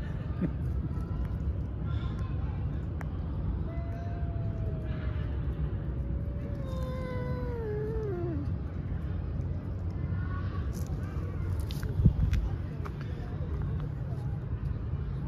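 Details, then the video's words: Female domestic cat producing one long meow that slides slowly downward and ends in a wavering drop, followed by softer short meows, all over a constant low rumble. "Good Girl with Fascinating Meow"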